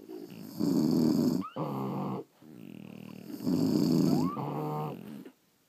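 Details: French Bulldogs asleep indoors produce thick, rattling snores in back-to-back breaths, two of them opening with a short rising nasal squeak.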